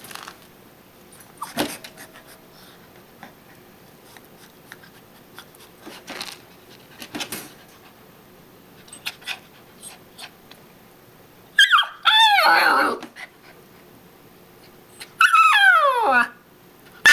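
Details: A dog unwilling to enter its crate for an afternoon nap, wanting to keep playing with a toy mouse; mostly quiet shuffling and clicks indoors, then two loud falling whines near the end.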